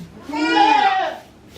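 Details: Goat bleat at a small farm in Himi, Japan, on 9 March 2019, where a young mixed-breed mother under a year old watches her newborn kid; one rising-then-falling nasal bleat, with soft human voices before and after.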